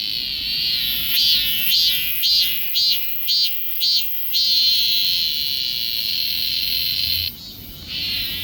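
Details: Cicada, recorded with a Galaxy S24 Ultra phone, giving a shrill electric buzz that throbs in regular pulses roughly twice a second, settles into a steady drone, dips briefly, then resumes.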